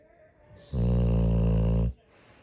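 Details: A sleeping Pit Bull snores on New Year's morning: one loud, deep, rumbling snore of about a second, strongly buzzing and low, with near-quiet breathing before and after.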